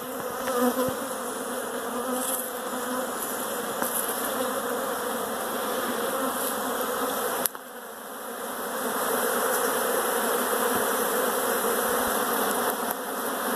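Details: Honey bees swarming inside a house: a dense, continuous buzzing hum from many bees, steady with slight wavering in pitch, briefly dropping in loudness midway before resuming at full strength.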